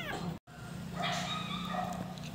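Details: Newborn puppies from Namsun's litter of nine, fathered by a male Shih Tzu: a short high squeak, then a longer thin, wavering whimper rich in overtones, over a steady low hum with a brief dropout.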